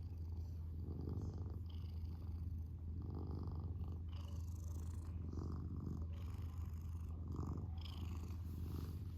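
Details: Pet cat, male, purring indoors; a deep, buzzing rumble that pulses in breathing cycles about every one and a half to two seconds.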